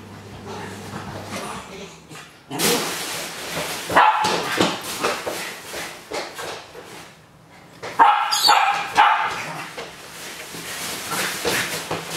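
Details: Excited Japanese Spitz greeting its owner on arrival home: loud broadband barks in two bursts with whimpering yips between, over a faint low hum and a little speech.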